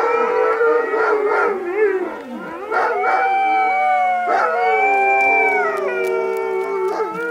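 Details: Alaskan Malamutes howling together with sirens, recorded 12 October 2014; several overlapping drawn-out howls rising and falling in pitch, with short yelping breaks and a steady siren-like tone underneath.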